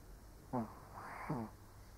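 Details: Old Shih Tzu snoring while asleep indoors: two short nasal snorts about three-quarters of a second apart, each with a whistling, wheezy edge, over a quiet room.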